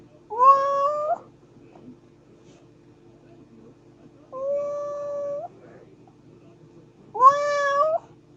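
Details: Three drawn-out kitten meows, evenly pitched and rich in harmonics, each lasting about a second and separated by several seconds of quiet room tone.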